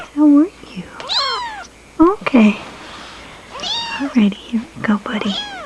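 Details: Kittens indoors giving a busy string of high, arched meows and short squeaky mews, some overlapping, with a person speaking softly to them between calls.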